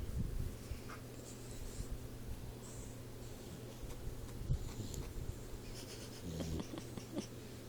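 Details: Sleeping Boxer puppy Troy, four months old, breathing with a wheezy, low snore; quiet raspy breaths rise and fall against a constant electrical hum in a small room.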